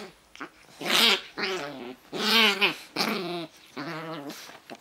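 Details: Pug growling rumble up close indoors: four drawn-out, buzzy grumbles, each about half a second long, with warbling pitch and gaps of silence between them.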